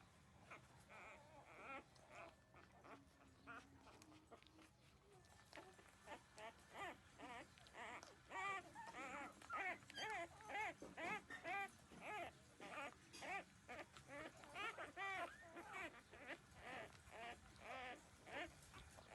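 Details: Newborn puppies, thirteen days old, nursing at their mother and drinking milk, give a dense stream of high, wavering squeaks and whines, about two a second, that grow louder and busier after the first few seconds.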